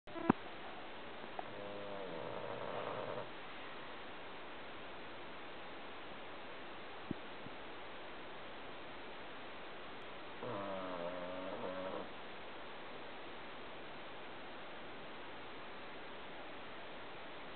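An English Bulldog snores softly, two long, rattling breaths several seconds apart over a quiet hiss.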